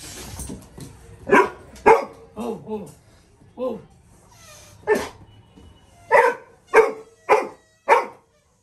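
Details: Labrador Retriever puppy barking in reaction to a balloon being blown; a run of about ten short, sharp barks, some paired and slightly whining, with brief pauses between, and faint voices in the background.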